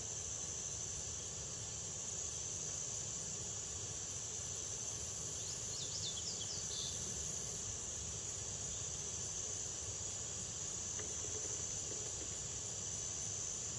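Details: Red-headed bush cricket (Phyllopalpus pulchellus) in the State Botanical Garden of Georgia, Athens, USA, 2010: very high, short bursts of rapid ticking trill, repeated intermittently over a steady high-pitched insect chorus drone, with a few faint chirping bird notes.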